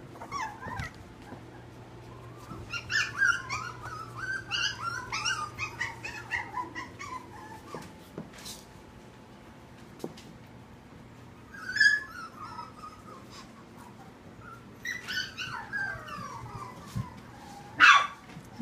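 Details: Tiny puppies in the Petite Pets Puppy Boutique nursery, Huntington Station, give high, wavering whimpers and short yips in clustered bursts separated by quiet gaps, inside a small room with a faint steady hum.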